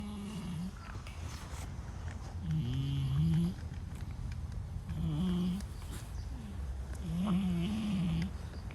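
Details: Sleeping brown-and-white stray cat snoring loudly, each low droning snore lasting about a second and returning roughly every two and a half seconds, four snores in all over a steady background hum.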